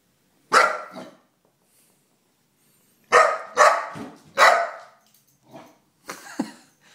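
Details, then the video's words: Four-month-old Golden Retriever puppy at home barking at a stuffed bear in the living room: a single sharp bark, a pause, then three quick barks in a row followed by softer huffs and a yip. "Calvin the 4 month Golden defends his house from a bear."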